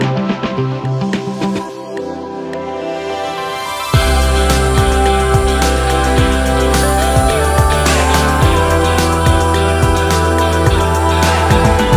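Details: Electronic music with a steady beat plays throughout, starting quieter and then swelling, with no animal sound.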